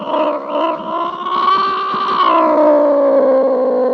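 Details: Domestic cat giving one long, drawn-out meow of about four seconds, a rich, steady, wailing tone that holds level, then slides gently lower in pitch toward the end, with no other sounds.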